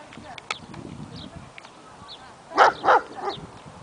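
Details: A male German Shepherd barks at a stray dog, giving three loud, harsh barks in quick succession near the end.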